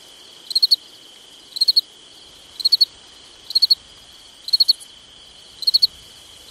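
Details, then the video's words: Summertime crickets chirping at night, each chirp a rapid triple pulse, six chirps spaced about a second apart above a steady high-pitched insect drone. "Summertime Night Sounds Sleep Noise Crickets Night Stars"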